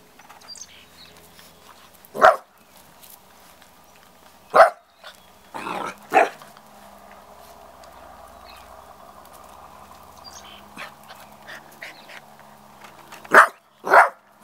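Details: Golden Retriever puppy Spice, Ginger's sister from Jenny's litter, a little over 8 weeks old, playing outdoors in spring sunshine; five short, sharp barks or yips spaced irregularly over the recording, with a quiet steady hum between them.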